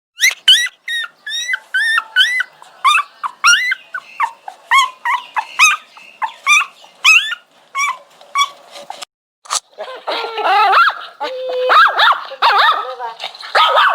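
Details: Dog whining: rapid series of high, tonal, rising-then-falling whimpers, several per second, rich in overtones; after about nine seconds the cries turn louder, rougher and more strained, ending in drawn-out whines.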